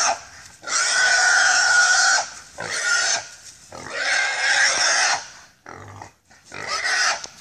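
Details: Hog caught on a Sulphur River pig hunt, letting out drawn-out, raspy squeals in roughly one-second bursts, rising and falling in loudness, with short pauses and a brief low sound in between.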